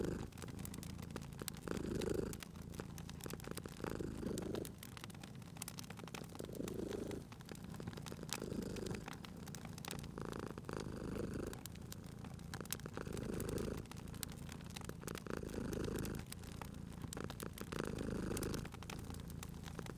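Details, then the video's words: Relaxed house cat purring by the hearth in spring ambience, rhythmic low rumble about two dozen breath cycles a minute, accompanied by steady fire crackle and occasional louder pops. "Cute Purring Cat at a Crackling Fireplace"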